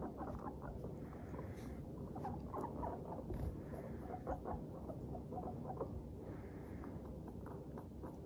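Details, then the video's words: Several Teddy and Abyssinian guinea pigs in a happy mood, chattering while trotting along. Soft, short pupupu-like squeaks come in quick, uneven runs over a steady pattering of feet and a constant low indoor rumble. "軽快に歩く♪上機嫌なモルたちのお喋り Guinea pigs chatting"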